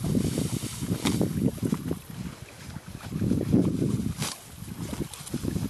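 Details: A horse named Billy eating green grass at a creek; rhythmic low crunching chews repeat about three times a second in bursts, with trickling creek water and light wind in the background.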